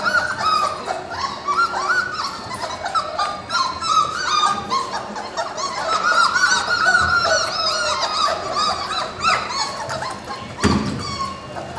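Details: Four-week-old puppies from a litter born March 7, 2010, crying in a chorus of high wavering whimpers and yips, many overlapping voices, with a sharp thump near the end.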